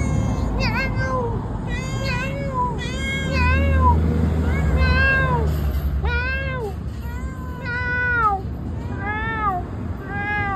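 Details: Misifus, a talkative pet cat, meows at its owner: a rapid series of short arched meows, many per second in bursts, each rising then falling, with a man's voice and low rumbling traffic noise underneath.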